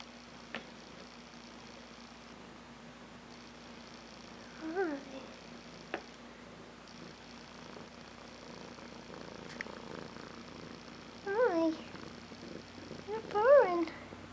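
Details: Newly adopted six-month-old male kitten from a rescue, in his first moments in a new home, kept alone in his own room. Several short, wavering meows, mostly near the end, over a steady low indoor hum.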